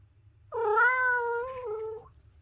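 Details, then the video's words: Domestic cat giving a single long, drawn-out meow of about one and a half seconds, steady in pitch with a slight dip near the end, clear harmonics, quiet low hum in the background. "The Ultimate Cat Meowing Compilation - Cute and Funny Cat Sounds"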